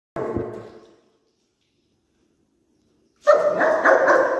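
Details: Adult female German Shepherd trying to correct an agitated female Bull Terrier: a short harsh, rasping burst, then silence for about two seconds, then a longer rough, noisy outburst lasting over a second.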